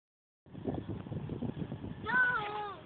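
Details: Goat caught arguing, the call coming after a stretch of rough, rumbling background noise: a short, wavering, tonal bleat near the end that dips and rises slightly before fading.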